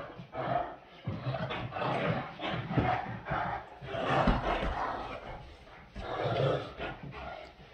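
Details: Great Danes, two dogs playing together indoors, giving rough, broadband barks and growls in bursts about every second or two, with pauses between; a faint murmur of people in the background.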